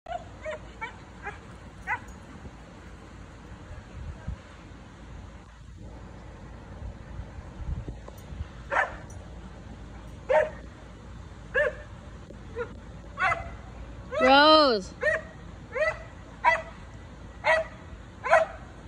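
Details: Dog barking at neighbours relaxing in their backyard pool; scattered barks, then a long rising-and-falling howl-like yelp in the middle, followed by a steady series of short barks about every second.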